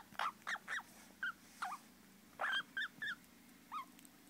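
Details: Baby squirrels calling with high, slightly bending squeaks in small clusters of two or three, about ten calls in four seconds with short gaps between groups.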